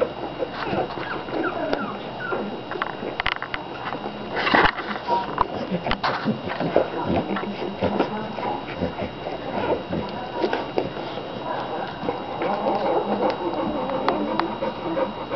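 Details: A July 2009 American Bulldog litter of fifteen puppies, feeding and dozing together; scattered high whimpers and yips run through dense rustling, with a person's voice in the background.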